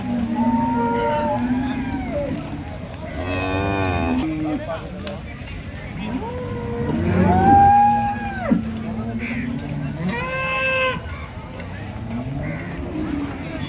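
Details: Holstein Friesian cows at the Loni cattle market in India, 10 February 2026; several overlapping drawn-out moos, some rising and falling, among a noisy crowd of many cattle.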